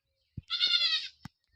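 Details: Domestic goat bleating while being bathed at home: one high, strained, harmonic bleat of about half a second, preceded and followed by short knocks and handling sounds.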